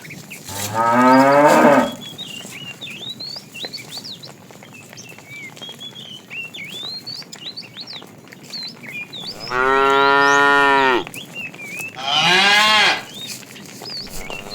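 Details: Tame fat cow calling the female during afternoon herding: three moos, a rising rough one at the start, then two loud drawn-out calls about two seconds apart near the end, with many small birds chirping throughout.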